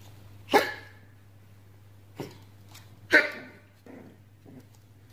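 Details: Pomeranian puppy at play giving three sharp, husky little barks, each a sudden burst fading quickly, followed by two softer muffled yips, quiet hum between.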